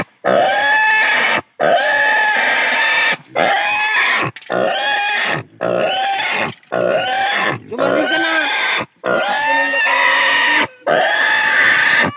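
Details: Native pig undergoing castration gives frantic, harsh squeals in quick succession, each about a second long with sliding pitch, broken by short breathing pauses.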